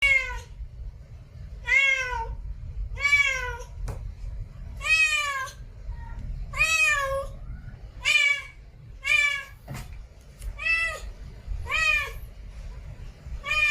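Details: Domestic cat in a village, meowing repeatedly: about a dozen clear, drawn-out meows with bending, wavering pitch, spaced roughly one to two seconds apart, over a low rumbling background.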